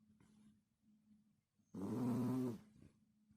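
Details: One loud, low, buzzing snore from a sleeping dog lasts under a second and stands out above faint, steady breathing.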